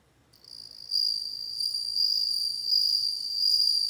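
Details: After a moment of silence, a bell cricket's clear high ringing song starts softly, jumps louder within a second, and continues as an even, gently pulsing tone to the end, with faint low background hum.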